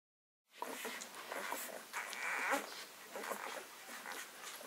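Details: Six-day-old Leonberger puppies from a summer litter, indoors, giving thin high squeaks and whimpers over a busy background of rustling and shuffling, with one longer squeal about two seconds in.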